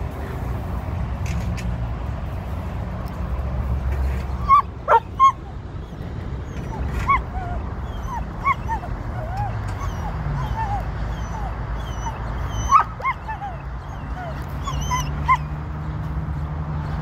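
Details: A Border Collie at a sheep-herding session on June 1, 2023, in hunt mode during its second run, lets out short, high, thin whimpers and yips scattered over a constant low rumble of wind and background noise.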